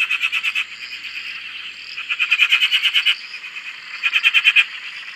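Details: Frogs calling on a dam in Australia: quick runs of sharp pulsed croaks in clusters about a second long, separated by short pauses, with a constant chorus of other frogs behind.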